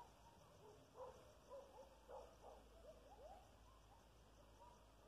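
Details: Coyotes about half a mile away give faint, wavering howls and short yips that slide up and down; Coyote.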